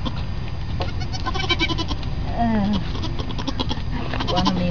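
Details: Newborn goat kid with a brief, quavering, falling bleat midway and another faint one near the end, amid steady low hum and some background voices.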